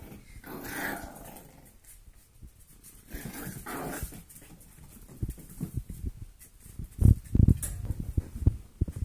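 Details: Foster golden retriever mix puppies, four weeks old, at play indoors: short harmonic whines and growly yelps early on, followed by low scuffling, pawing and knocking sounds that grow sharper toward the end.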